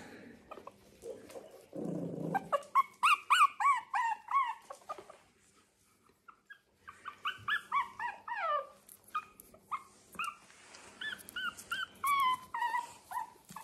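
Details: Teething puppies, still with misty eyes as they learn to see, explore a slippery linoleum floor on a farm in County Kilkenny, Ireland, making a quick run of squeaky, rising-and-falling whimpers, murmurs and tiny baby growls.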